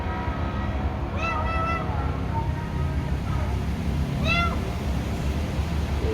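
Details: Wild cats said to remain afraid of the person: two clear meows, the first long and wavering around the one-second mark, the second shorter about three seconds later, over a constant low hum.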